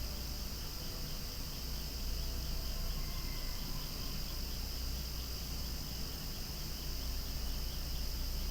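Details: Outdoor setting with flowers where cicadas call almost deafeningly, a continuous high buzzing wall of sound, constant in level, with a faint brief tone partway through.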